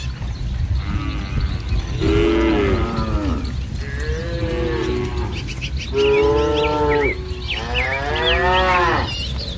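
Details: Herd of tame village cattle in a green rice field in morning sun, giving repeated long, level, harmonic moos one after another, with bird chirps and constant low background noise.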